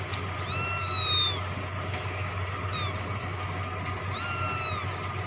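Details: Kitten drinking milk gives two high, thin meows with stacked harmonics. Each meow arches up and then slides down. One comes early and one near the end, over a steady low hum.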